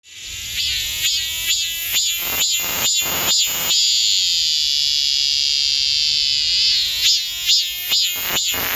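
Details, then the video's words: Cicada calling from a spot within easy hand reach, backing away when filmed and finally stopping. Loud, shrill, high-pitched pulses repeated about twice a second, swelling into a long continuous buzzing drone for about three seconds, then pulsing again. "촬영하는 게 싫은 매미"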